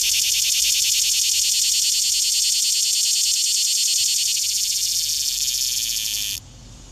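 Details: Recorded up close in Shelby County, Tennessee, in 2015, a green cicada sings a loud, steady, high-pitched buzz that runs unbroken for several seconds, then cuts off abruptly.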